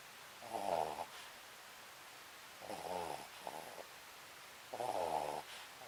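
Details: Papillon dog Sakura fast asleep, three loud, buzzy snoring breaths about two seconds apart, each ending in a short whistling exhale, room otherwise silent.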